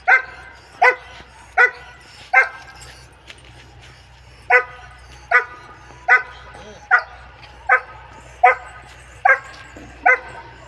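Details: A German Shepherd with a double coat gives a steady run of about a dozen loud barks, each under a second apart and evenly paced, with a short pause partway through.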